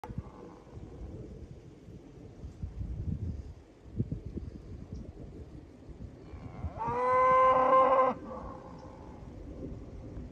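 A cow gives one loud, steady moo, rich in overtones, lasting just over a second.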